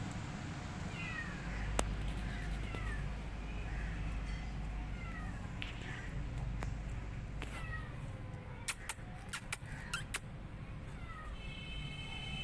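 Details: Abandoned kittens mewing: thin, high, downward-sliding cries repeated irregularly over a steady low rumble, with scattered sharp clicks and taps toward the end.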